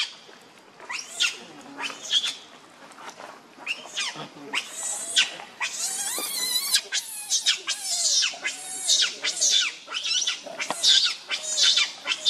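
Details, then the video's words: Baby monkey Leo, also called Rainbow, very angry and hungry, begging its mother for milk with a run of sharp, high, wavering screams and squeals, repeated more than once a second with little pause. "Rainbow Very Angry Need Milk Much I Smart Cute Lovely Baby Monkey"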